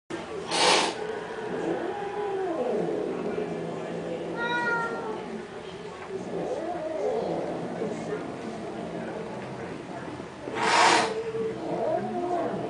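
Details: Cats fighting over a car: drawn-out wavering yowls that rise and fall in arching pitch, repeated several times, broken by two sharp broadband bursts near the start and end, with voices in the background.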